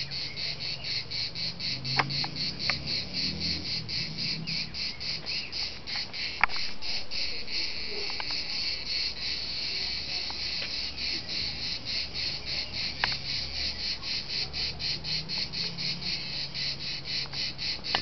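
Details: A steady, shimmering cicada chorus sings at dusk in Liguria, a high buzz throbbing in quick regular pulses, with a low background rumble and a few faint clicks beneath it.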